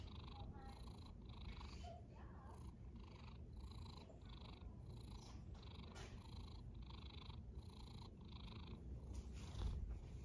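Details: Snoring cat at rest, breathy noisy pulses coming evenly every half second or so over a deep background hum, a brief louder rustle near the end.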